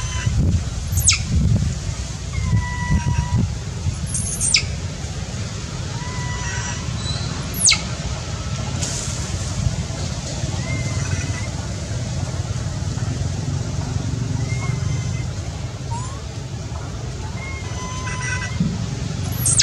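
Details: Baby monkey that has lost its mother, crying from hunger for milk: shrill screams sweeping sharply downward alternate with thinner tonal whimpers, scattered over twenty seconds above a steady low rumble of outdoor background noise.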